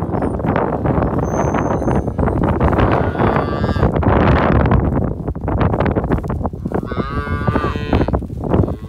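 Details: Hereford cattle during calving, bred to registered Brahman bulls; one short harmonic moo around seven seconds rises out of loud, continuous broadband clatter and rumbling noise.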